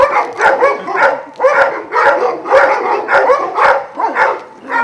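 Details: Kennel of twelve Vujanski-line Šarplaninac dogs in Jasika near Kruševac; rhythmic bursts of barking and yipping about twice per second from several dogs together, mixed with whines and occasional hard knocking clicks.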